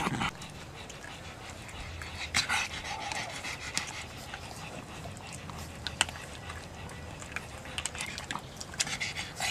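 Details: A pug panting in uneven, breathy bursts, with a few louder puffs standing out against a quiet low hum.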